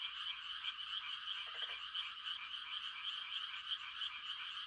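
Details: Frogs calling to mate on a quiet night in the countryside, a thick steady wall of high rattling trills from many callers, with one brief deeper croak burst around one and a half seconds.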